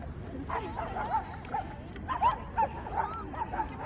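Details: Bedlington Terrier out on a walk, with many other dogs around, giving short, high, whining yips and whimpers, some rising and falling, repeated about every half second over steady background noise.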